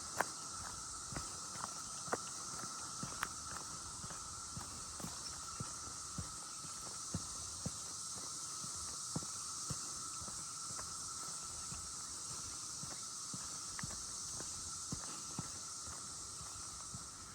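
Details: Cicadas drone steadily in the background with a continuous high hiss, with footsteps crunching along Hoggard Trail at Buzzard's Roost under brewing rain clouds; cicada emergence holes and a larva are seen in the ground.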